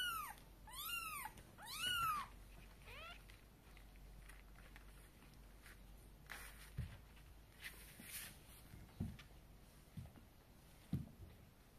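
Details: Mother cat bringing her kittens to bed, carried in her mouth; three quick rising-falling meows open the recording, a fainter one follows, then only soft knocks and thumps in a quiet room.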